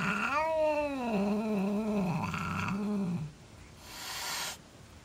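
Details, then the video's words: Domestic cat, a female, hissing and growling at her brother, another cat, after two years of peace: a long drawn wavering growl-yowl with stacked harmonics, sliding down and holding low, ending abruptly, followed by a brief noisy hiss burst. "Hazel Flips Out"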